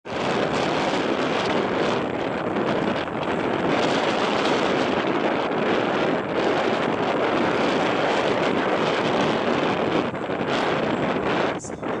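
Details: Loud steady wind or engine roar with no animal sound.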